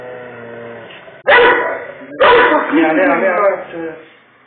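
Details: A pit bull going nuts at a Doberman stands his ground, letting out two forceful, raspy barks about a second apart, the second longer and growling at its tail, after a low tonal sound, possibly a voice or whine.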